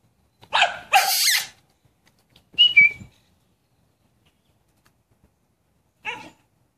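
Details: American Bully dogs Minnie and Dutchess playing with a stick: a quick burst of harsh, sharp barks, a short squeaky whine-like note, then after a quiet pause one brief, softer yap.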